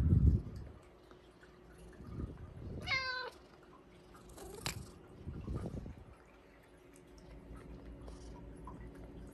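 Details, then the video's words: Hua, a pet Bengal cat, begging for food at supper, pouncing on its owner for Japanese cod sticks; one short clear meow with a falling, harmonic tone near three seconds, otherwise a quiet indoor room with soft low thumps and rustling. "Cat's eating Japanese cod sticks with adorable voice"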